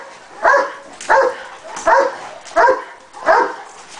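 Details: Cane Corso barking during training: five evenly spaced, deep harmonic barks, roughly one every 0.7 seconds, over quiet background.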